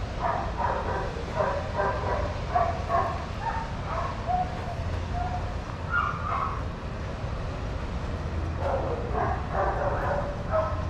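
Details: Adoptable shelter dogs playing and running together at a daycare: a steady run of short, harsh barks from several dogs, closely spaced, pausing briefly mid-way before a fresh burst of yapping, over a low rumbling hum.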